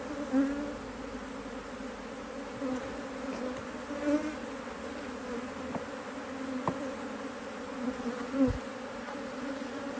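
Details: Working honey bees, hive opened during a spell of beautiful Autumn weather in Australia, 2023, to add a box of frames; a constant droning buzz for ten seconds with a few soft clicks and taps.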